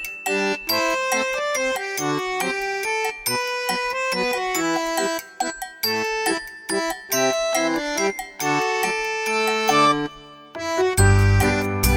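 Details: Bouncy keyboard and accordion-like music with chiming notes fills the whole stretch, ending in a low thump, with no animal sounds.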